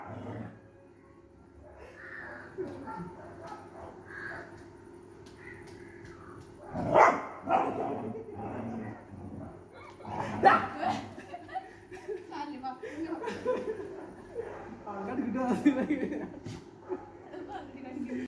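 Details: A Labrador Retriever puppy, said to be afraid of a stray puppy on the street, gives a few sharp, high barks and yips among quieter household sounds.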